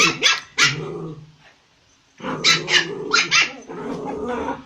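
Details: Puppies barking: harsh, loud, broadband barks in quick bursts, a growly lower tail after the first pair, a brief silent gap, then a rapid run of four or five barks blending into rough growling.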